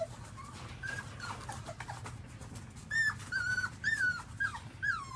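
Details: Whining newborn pups nursing from their mother dog: a run of clear, high, slightly wavering whimpers repeats about twice a second in the second half, above a low background of suckling and shuffling.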